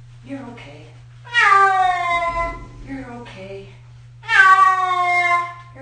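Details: Six-year-old cat getting its first bath, giving loud, drawn-out complaining meows about three seconds apart, with a softer, shorter mew between them and a low steady hum underneath.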